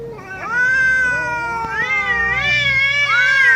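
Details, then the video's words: Domestic cat giving long, drawn-out harmonic meows that waver up and down in pitch, one call running into the next and rising to a louder, higher second half, with no other sounds. "Cat Meowing"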